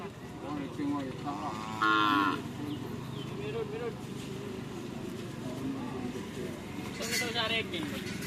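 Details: Javanese cattle during training at a field in Pamekasan, Madura: a short harmonic moo around two seconds amid steady crowd noise and voices, with other brief calls later.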